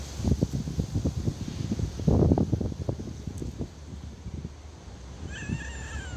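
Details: Hungry stray cat living on the street, asking for food: after several seconds of rustling and low handling noise, one short, clear, tonal meow with a slight rise and fall comes near the end.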